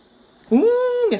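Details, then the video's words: A dog howling during a civil defence drill siren: one sustained, steady mid-pitched howl lasting about half a second with a brief rising onset and a falling end, rich in overtones, in a quiet indoor setting. "민방위훈련 받는 강아지"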